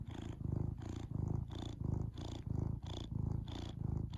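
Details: Domestic cat purring indoors, a low rhythmic rumble pulsing about ninety times a minute, each inhale and exhale phase clearly separated, steady and close.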